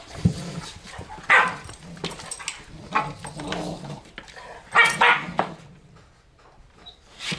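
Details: Two German Shorthaired Pointers, a small male and a larger female (his mother), growl low and steadily while play-fighting in a living room, broken by sharp barks and yips.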